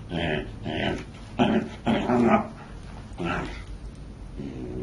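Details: Corgi, a pet dog filmed indoors during a silly moment, gives a run of short rough barks or growls, about five bursts in under four seconds, with a person talking and laughing in between.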